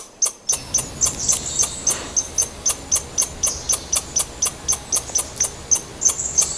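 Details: Squirrel giving a rapid series of sharp, clicking chucks, about four per second, each with a thin high whistled tone, keeping a fairly steady rhythm over a faint hissy background.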